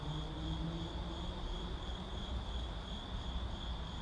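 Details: Urban night ambience with crickets: a continuous high, evenly pulsing trill sits above a heavy low rumble of city traffic, the insect chorus steady throughout the few seconds.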